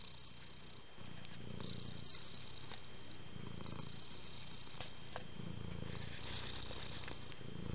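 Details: Domestic cats purring indoors, from a litter of affectionate kittens born on the same day and still living at home with their mother; a low, steady rumbling purr pulsing in rhythmic bursts roughly four times a second, with faint clicks.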